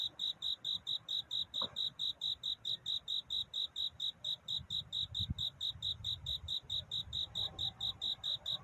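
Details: At night, a cricket sings steady, high, pure chirps in an even rhythm, a courtship song to attract a mate.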